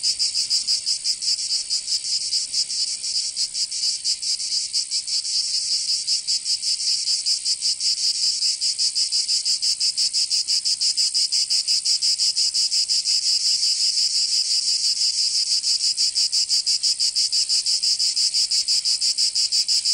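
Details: Cicada chorus in summer in Provence, southern France: a sustained, shrill, sizzling buzz with fast, somewhat uneven pulsing, holding a steady loudness for twenty seconds.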